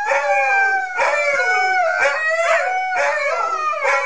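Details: Siberian Huskies singing as a group, with layered drawn-out howls weaving around each other, some voices bending upward while others glide down, in steady, unbroken waves of sound.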